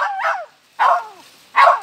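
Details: Young civet found at Cikereteg, letting out three coarse, hissing squalls, each ending in a downward-sliding tail and separated by short silences.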